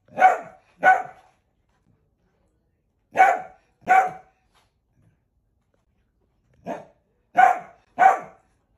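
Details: Dachshund, a sausage dog kept as a pet, barking in loud, sharp single barks arriving in pairs, then a group of three, separated by silent gaps of about two seconds, indoors.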